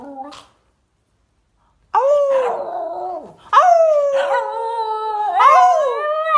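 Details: Puppy howling in rising and falling harmonic whines, a brief squeak at the start, then a pause, followed by two long wavering howls separated by a short break; indoor quiet otherwise.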